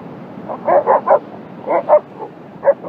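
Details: Czechoslovakian Wolfdogs barking while playing at ambushing each other: about seven short, yelping barks in two quick clusters, then one more after a pause, over faint background hiss.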